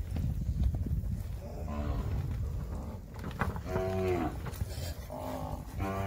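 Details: Nelore cattle lowing during calf weaning on a farm, with herders calling the herd: several deep, harmonic moos of about half a second each, a few seconds apart, over steady low rumble and some distant voices.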